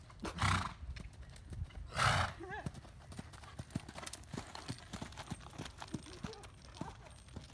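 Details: Tennessee Walking Horse, an older gaited gelding in his late teens, during canter training: two loud, breathy bursts followed by a short wavering whinny, with steady clip-clop of hooves and a person talking throughout.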